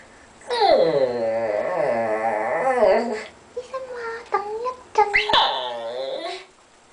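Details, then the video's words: White Pekingese dog vocalizing as if trying to speak: a long drawn-out wavering whine-howl, then short yelping squeaks and another rising-and-falling moan, all close and loud indoors. "white pekingese dog wanna say something"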